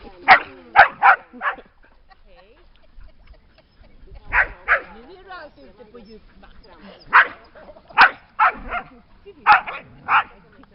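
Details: Dogs by the lake at Lida Nature Reserve on a summer day, barking in short clusters of three or four sharp barks separated by quieter pauses.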